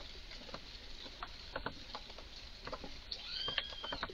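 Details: Red squirrel in a garden, clearly worked up, uttering odd sounds: scattered dry clicks build to a burst of chatter near the end, with a short arching high whistle.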